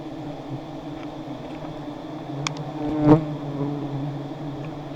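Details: Giant honey bees swarm as two high nests are harvested; a steady low droning hum runs throughout, with a sharp knock near the middle.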